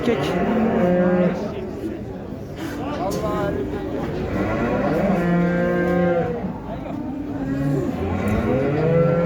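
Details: Water buffalo with its calf at the Şarkışla animal market: drawn-out, low, harmonic moos rise and fall several times over busy market chatter and background music.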